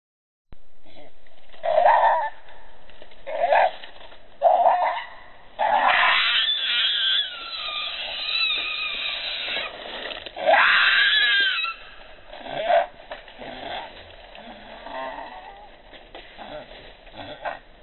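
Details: Baby monkey named Leo crying while begging its mother for milk, hungry; loud wavering squeals and whines come in bursts, with longer harsh screeching cries in the middle and quieter whimpers between.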